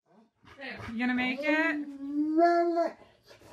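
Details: Husky singing at home: a sustained, slightly rising tonal howl lasting about two and a half seconds, harmonic and clear, with faint background noise.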